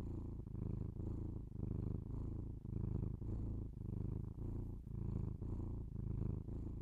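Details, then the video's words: Pet cat purring, captured with binaural microphones indoors: deep continuous rumble pulsing in even breaths about once per second, soft and close, nothing else audible. "binaural sounds of my cat purring"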